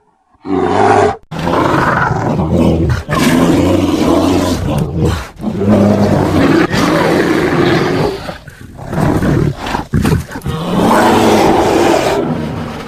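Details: Grizzly bear roaring continuously in long, heavy, guttural growls that rise and fall in loudness, with brief breaks between surges.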